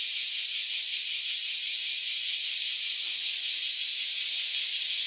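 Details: Freshly emerged cicadas, after roughly a decade living underground, sing together in a loud chorus: a continuous shrill buzzing wall of sound with a regular wavering pulse and no other sounds.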